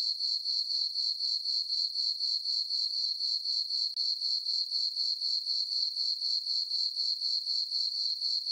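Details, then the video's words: On a farm meadow at night under a full moon in summer, crickets keep up a shrill, even chirping, roughly four beats per second, with a short gap near the middle and otherwise a quiet background. "Cricket chirping sounds for sleeping"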